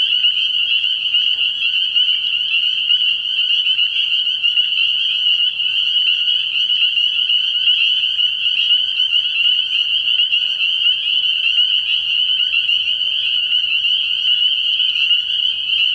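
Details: A pond full of spring peepers at night in early spring, producing a constant, intense high-pitched ringing chorus of countless overlapping peeps that never lets up.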